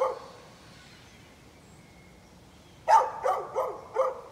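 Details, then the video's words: Neighbor's dog recorded on 11-13-2020: near-silence for almost three seconds, then a quick run of four sharp barks spaced roughly a third of a second apart. "Neighbor's barking dog"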